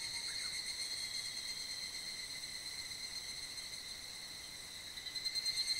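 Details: Higurashi cicadas in full evening chorus in mid-July, resounding through a valley below Mount Kanmuri, Funo: dense high ringing bands held steadily, with a pulsing, rapidly repeated trill swelling near the end.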